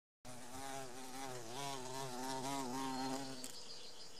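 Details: Carpenter bee in a garden in Samara Oblast, Russia, in May, near its nest; a steady droning buzz with wavering harmonics that rise and fall slightly, running for about three seconds before fading.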